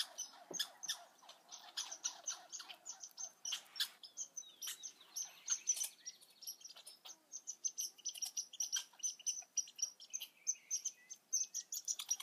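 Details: Young red squirrels calling with a steady run of high-pitched squeaks and faint thin whistles, mixed with crisp clicking and rustling, some squeaks gliding slightly downward.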